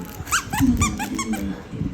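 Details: Pet Siberian Husky indoors, trying to get his sandwich, gives a quick run of about six high squeaky whines with rich harmonics, each rising then dipping, spaced a fraction of a second apart. Light room noise sits underneath.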